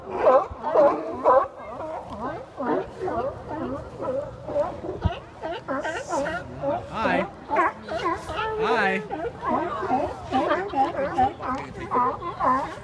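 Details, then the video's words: Sea lions hauled out in a big group on Westport, Washington docks give loud repeated barks, short arched harmonic honks in quick irregular series, overlapping with more distant barking and a few longer wailing calls. "Sea Lion Party"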